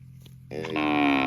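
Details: Loud moo from a cow in a park begins abruptly after half a second of low hum and holds a strong, even harmonic tone to the end.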